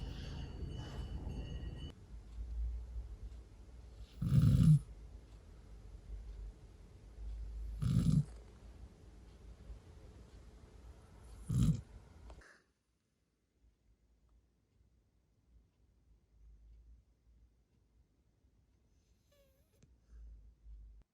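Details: Retriever named Haru, a large dog, snoring while asleep on a pillow at night; low rumbling snores at about 4.5, 8 and 11.5 seconds, noisy start, then near silence with faint breathing.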